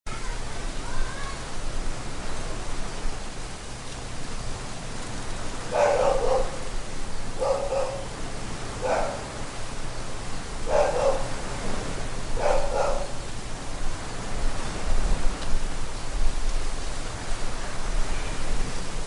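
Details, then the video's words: Dogs at Pattaya Beach, recorded 31 December 2013: five or six short, harsh barks arrive in a cluster about a second apart midway through, over a steady roar of waves and wind in the trees that fills the whole recording. "Pattaya Beach Waves Wind Trees Dogs 01"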